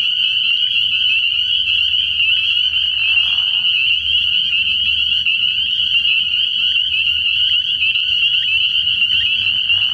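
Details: High, piercing peeps of countless spring peepers blend into one steady ringing chorus at a frog pond at night early in the year; a short lower nasal call near three seconds and a low murmur underneath.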